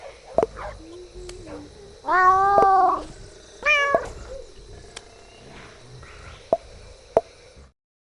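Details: Koala making strange noises: two loud, harmonic wailing cries, each about a second long, the second higher and sharply rising, with scattered sharp clicks and a faint steady high-pitched hum in the background.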